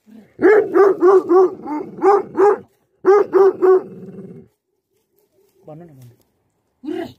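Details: Rapid run of about seven deep barks from livestock guardian dogs, a pause, then three more barks trailing into a low growl, with a soft whine and one last bark at the end.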